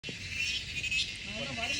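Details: A grasshopper's loud, unbroken high-pitched buzz fills a dense forest in the Wayanad hills, with a faint human voice underneath.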